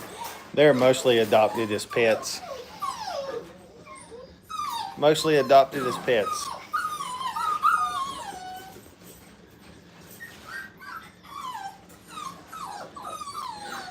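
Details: Five-week-old puppies in a playpen for the first time, giving high, wavering whines and yips that rise and fall, overlapping one another, after a person speaks in the opening seconds and again near five seconds.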